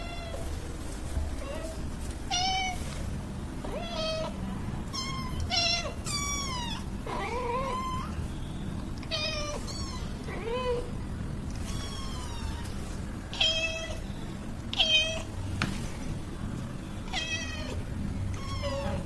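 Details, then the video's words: Domestic cats, a mother and her roughly one-month-old kitten, meowing at home: many short, high, harmonic meows, some rising then falling, repeated every second or two over a low steady background rumble. "Mommy and kitten cats🥺 |Making Meow sounds"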